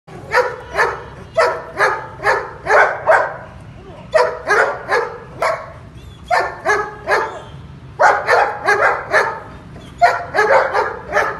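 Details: Long-coated male German Shepherd in Pakistan barking in loud, deep, rapid runs of four to six barks, separated by short pauses, keeping up throughout.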